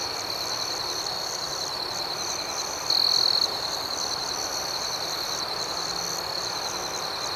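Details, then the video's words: Gentle nighttime cricket ambience outdoors, an unbroken high, thin trill carrying the whole stretch, with one louder half-second chirp rising above it around the middle. "Soothing Cricket Sounds"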